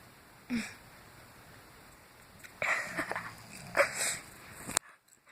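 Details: A sleeping dog snores in a few rough, breathy snorts: one short burst, then a longer wheezing rasp with several sniffing catches, then abrupt silence. A steady faint electronic hum runs underneath.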